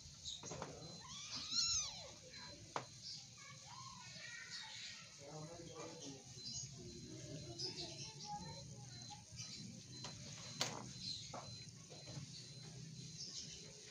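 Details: Cute kittens wrestling and play-fighting indoors; one clear arching meow rises then falls early on, followed by scuffling, soft thumps, scattered clicks and faint human voices in the background.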